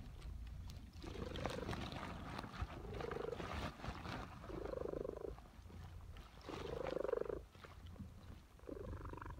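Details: Domestic cat purring during her afternoon nap in suburbia; soft rhythmic purr cycles, each breath swelling for about a second, over a steady low rumble and a hissy background.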